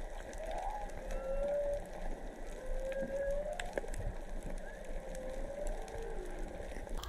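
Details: Whales singing underwater off Onna Village, Okinawa, Japan, three to four animals recorded while snorkeling: long tonal moans held steady at mid pitch, some gently rising, over a continuous hiss of sea noise and faint clicks.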